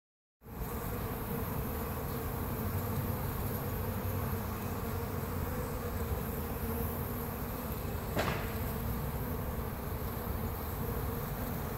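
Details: Western honey bees with full pollen baskets give a steady, low droning hum of many beating wings.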